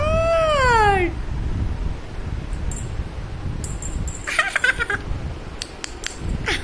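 A Persian kitten lets out a single bright meow that slides downward in pitch and lasts about a second. After it come scattered rustles, taps and clatters of handling noise.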